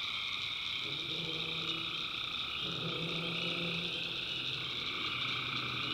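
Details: Night chorus of tree frogs in a North Carolina backwoods swamp, a steady shrill wall of trills layered with deeper, intermittent croaking notes from about one to four seconds.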